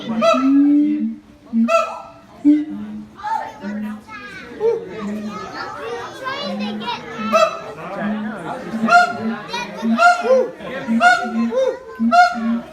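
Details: Siamang pair harmonising in high and low voices, said to be heard 4 km off, the silent infant clinging to its mother; a dense stream of ringing barks builds over repeated low hoots, with children's voices mixed in.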